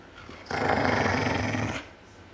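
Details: Bigger dog growls over its bone as a little dog tries to take it: one continuous, harsh, throaty growl lasting just over a second, steady in loudness, in a quiet indoor setting.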